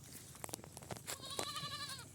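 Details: Farm goat bleating: a wavering, nasal bleat about three quarters of a second long that trembles steadily through to its end, preceded by sharp clicks and knocks.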